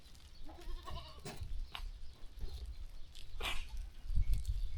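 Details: Farm sheep walking and grazing; several wavering bleats with banded harmonics sound in the first second and a half, followed by scattered thuds, rustling and a sharp higher call over steady low-pitched background noise.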